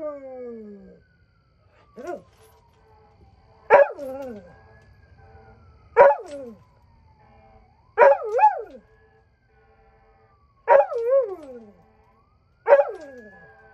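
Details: Night howling from Birda the dog: a series of short, sharply falling howls with wavering tails, one roughly every two seconds, over a faint sliding siren-like tone.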